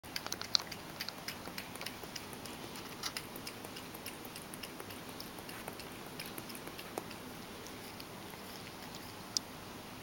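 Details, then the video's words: Mojio, a Ragdoll cat, laps his favourite lactose-free goat milk. Soft, scattered wet clicks of the tongue come irregularly over a quiet, hissy background. "Cat(ragdoll) drinking milk"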